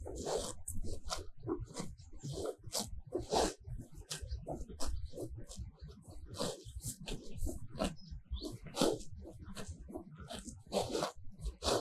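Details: Cows feeding on lush grass in a sunny paddock, their tongues ripping off mouthfuls in dense, repeated crackly tears, fairly continuous over low munching and soft thuds.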